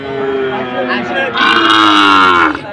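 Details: Cattle at Bilhamla livestock market in Buriganj, Shibganj, Bogura, Bangladesh, 19 August 2024, cows and goats on sale; a single long harmonic moo swelling louder midway and fading, with bargaining voices around it.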